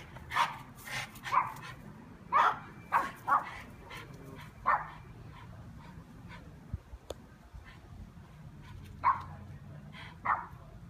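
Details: Dog in a yard on a mission to chase away bees, giving clusters of short, sharp barks early on, then a quiet stretch before a few isolated barks near the end.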